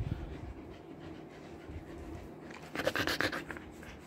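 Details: Summer-trimmed Siberian Husky in hot Kolkata, India, panting fast, about four breaths a second, quiet at first and then a louder cluster of harsh breathy puffs.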